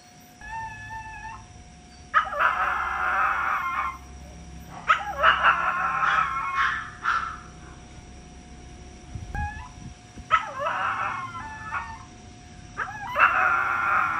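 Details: Chihuahua kept as a pet, crying in a run of wavering whined howls with thin high whimpers between them, bursts recurring every few seconds, a faint low hum beneath.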